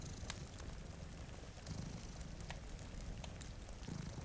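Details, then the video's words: Two sleeping cats by a rainy window give a low, vibrating purr that rises in brief pulses. Crackling fire snaps and a steady rain hiss run over it. "Purring Cat"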